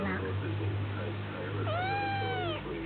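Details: Single clear meow from a domestic cat, drawn out and gently falling, following a moment of low rumbling room noise and soft voices.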